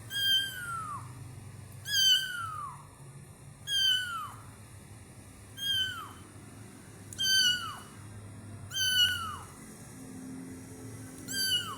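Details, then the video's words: Kitten meowing at Taman Asuhan Residential Complex: high, sharply falling meows with rich harmonics, repeated about every one and a half to two seconds, seven calls in all, over a faint low hum. "Kitten MEOWING"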